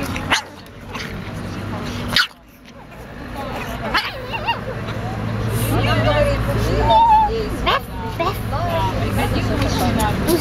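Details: A small female pug, called angry and talkative, grumbles and yips in short, rough bursts while people talk close by; she seems tired.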